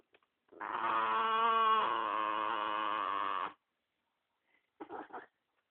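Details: Spumoni, a dog protective of the dog beside him, growling when people approach the pair indoors: one sustained, steady, harmonic-rich rumbling tone of about three seconds, then a short broken burst after a pause.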